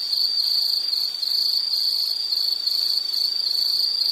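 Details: Insect chorus of steady high-pitched chirps near one pitch, pulsing in quick bursts with a brief dip around one second, over faint background hiss.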